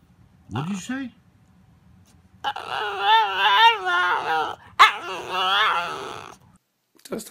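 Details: 'Talking' pet dog gives a short rising whine, then a long grumbling, wavering vocal stretch mixing growl and moan with shifting pitch, broken by one sharp bark-like burst; a person speaks briefly around it.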